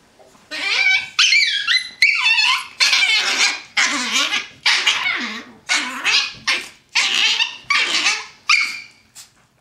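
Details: Two pet Chihuahuas, one brown and one black, play fighting on a bed indoors; a rapid series of high, yelping barks and whiny yips in quick bursts, with a person cheering them on.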